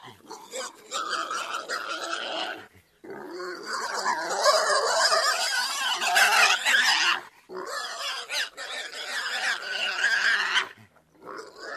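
Pigs squealing and grunting in harsh, noisy bursts broken by short pauses.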